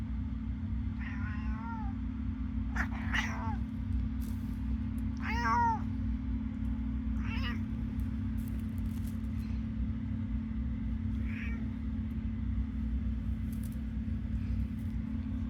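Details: Elderly female cat just awake from a short nap, meowing loudly before running to her owner: about six drawn-out, wavering meows spaced a few seconds apart over a steady low hum.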